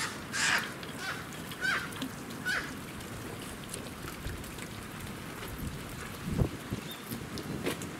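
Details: Japanese macaques (Macaca fuscata) at breakfast time at Kamine Zoo, Hitachi, Ibaraki, Japan, on 21 October 2017, give short, high, whistle-like calls over a steady noisy background.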